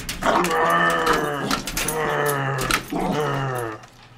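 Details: A pet dog reacting to a vacuum cleaner indoors, giving long low growling vocalizations with harmonic bands, three sustained bursts over about four seconds, in a small room.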